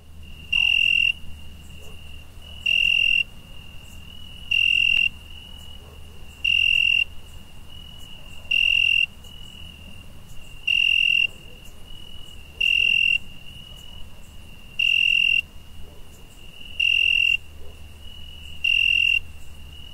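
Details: Cricket chirping at night in summer: a steady high, thin trill runs throughout, broken by louder ringing bursts about every two seconds, ten bursts in all, over a faint low hum.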